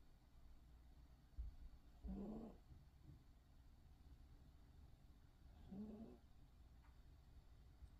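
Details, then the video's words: Poodle snoring cutely, two soft raspy breaths about four seconds apart, each a short low buzzy rumble with a slight rising tone, over a quiet steady background hum. "귀여운 코골이 #푸들"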